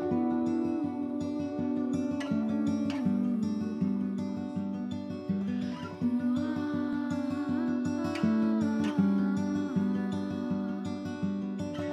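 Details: Strummed and plucked acoustic guitar plays a continuous melody throughout, with no animal sounds heard.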